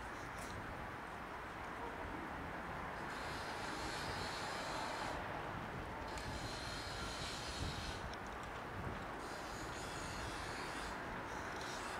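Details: Loud rumbling engine or train noise with swelling waves of high hiss every few seconds.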